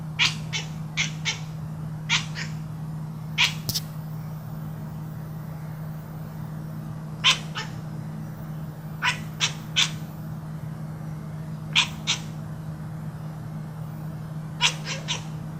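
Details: House cat vocalising during play, a long series of brief clipped chirps, often in pairs or triplets, spaced a second or two apart against a steady low background hum.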